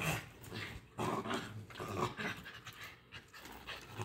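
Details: Pomeranian and Lhasa apso dogs fighting indoors: rough, breathy growls and scuffling bursts come in uneven clusters about once a second, with panting between them.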